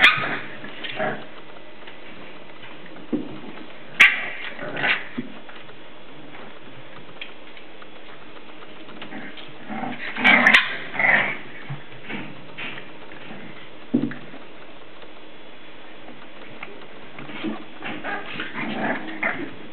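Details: English Bulldog puppies aged 7 weeks playing indoors: scattered short yips, whimpers and small barks in brief bursts separated by quiet gaps, with thumps and scuffling in a small room.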